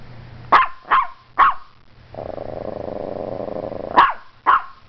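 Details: Morkie named Strudel barking at the camera in a burst of three sharp barks, a pause filled by a steady low drone, then two more quick barks.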